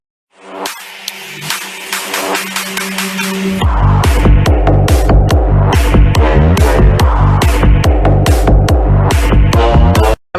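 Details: Loud electronic dance music builds from a sustained synth opening into a pounding repeated bass beat, then cuts off abruptly.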